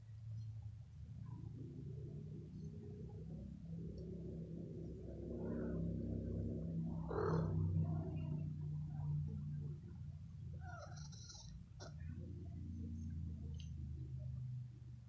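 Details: Pet cat being stroked on the head, which it loves; a low, steady, rumbling purr runs throughout, swelling in loudness around the middle, with faint high chirps of distant birds in the background.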